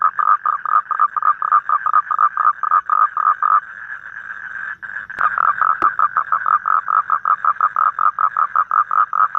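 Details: A toad calls outdoors in the evening in Vietnam. Rapid, regular croaking pulses merge briefly into a continuous buzz, followed by a couple of sharp clicks, then the fast pulsing resumes.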